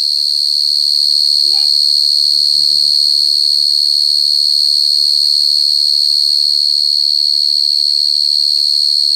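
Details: Shrill, steady cricket trill, dense and evenly pulsed at a constant high pitch; soft speech-like voices murmur in the background near the start.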